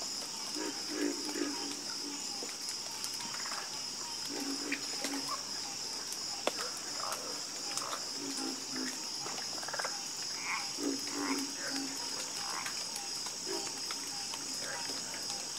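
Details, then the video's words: A harmonious frog chorus. Low croaks repeat in short rattling groups, some answering one another, while a continuous shrill hum runs steadily in the background. "Calming Sound Of Harmonious Frog Croaking"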